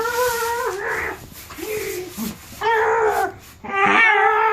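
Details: Charlie, a dog filmed in June 2015, lets out loud, sustained, wavering howl-like whines with rising and falling pitch, separated by brief quieter gaps and breathy sounds.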